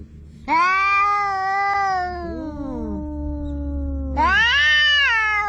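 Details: An orange cat and another cat quarrel on the seashore: a long strained yowl, then two voices crossing in lower sliding moans, before a loud yowl bursts in again, all over constant low background rumble.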